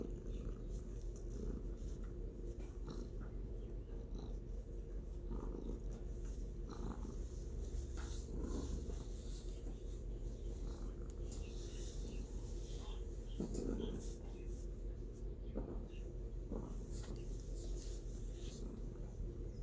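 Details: Domestic cat purring steadily, a continuous low rumbling drone with fast pulsing throughout, softly textured with faint higher hiss and scattered small clicks and rustles over the top.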